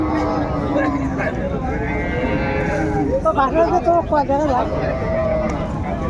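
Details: Cattle lowing at Raniganj haat livestock market in Dinajpur on 30 May, where cows with calves are traded; a long, steady low moo holds for about three seconds, then people talk and crowd chatter fills the background.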